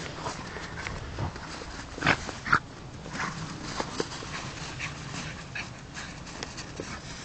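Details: Dog playing in snow, giving two brief high whimpering squeaks a half second apart near the middle, amid steady rustling and crunching of snow and quick breathy huffs.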